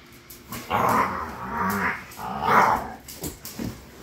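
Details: Fighting pit bulls give sustained, raspy snarling growls in two long surges, rising and falling in intensity, followed by a few shorter snaps and grunts.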